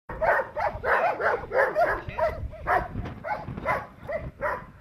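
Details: Perro de Presa Canario barking during protection training, a steady run of deep, forceful barks roughly every half second, each with strong harmonics, little else audible behind them.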